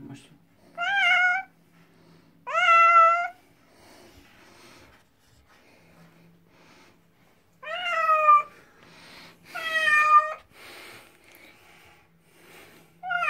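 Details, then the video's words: A house cat meows loudly before its vet-recommended bath, several rising-falling harmonic cries in pairs separated by quiet stretches, with a low indoor hum and brief human voice sounds between calls. "MEOW ! As I mewed before and during the bathing"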